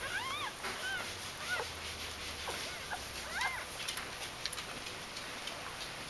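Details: Newborn puppies from the G litter of the dog Aris, in their first days of life in early October 2012, give thin, arching squeaks in scattered bursts over steady background hiss.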